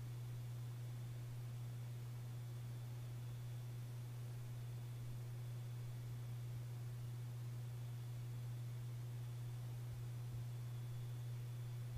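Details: Steady low electrical hum under a constant hiss, with no snoring or other animal sound audible.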